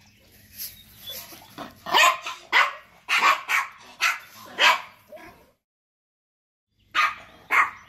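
A Yorkshire Terrier barks in a rapid, irregular series of shrill, clipped yaps. After a brief pause, two more sharp barks follow.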